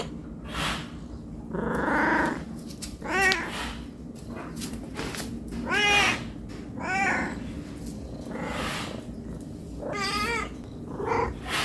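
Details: Cat asking for food because it is hungry: a mix of short arched meows and breathier, noisier cries spread across the stretch, some quieter, over a buzzing low background hum.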